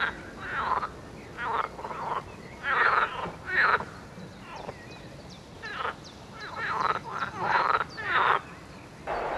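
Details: Frogs calling in a chorus: harsh, broadband croaking bursts, each under a second, coming irregularly about once a second, with several callers overlapping at different loudness.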